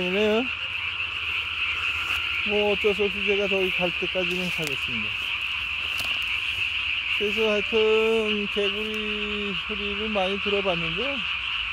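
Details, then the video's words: Japanese tree frog singing at night, 3 May 2020, single chin sac inflated to body size; quick pulsed high notes continue steadily beneath clusters of lower, descending harmonic croaks from nearby frogs. "밤에 우는 청개구리 울음판이 몸통 만큼 크네요?"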